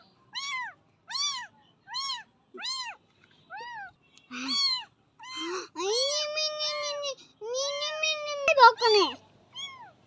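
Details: A tiny kitten taken in from a nearby jungle and bottle-fed milk because it cannot yet eat; a run of rapid, high, arched meows, followed by longer, drawn-out calls mixed with people talking indoors.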